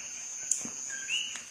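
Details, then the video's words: A common coquí calls in the background during an indoor spoken lesson, giving its two-note call, a lower 'co' followed by a higher, rising 'qui'. "se escucha ahí el coquí de fondo"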